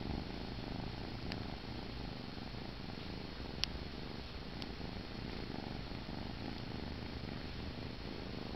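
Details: Sleepy kitten held in someone's arms, purring as he drifts off: a steady low rumbling purr throughout, with a few faint clicks.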